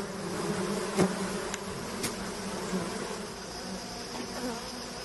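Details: Bees humming steadily during a honey harvest by men, a rich buzzing drone broken by a few sharp clicks or taps.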